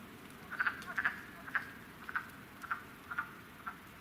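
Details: A handful of wood frogs breeding at a vernal pool at a nature sanctuary, late February–early March 2017 during a cold spell, give short, hoarse, duck-like clucks in an irregular chorus.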